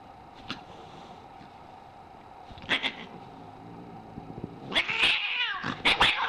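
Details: A cat, described as very angry, stays mostly quiet with a couple of brief spits before erupting near the end into loud, rasping hisses and choked yowls in rapid bursts.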